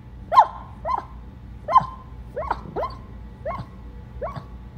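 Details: A dog yips in a quick series of seven sharp, high barks, roughly one every two-thirds of a second, over a steady low background hum.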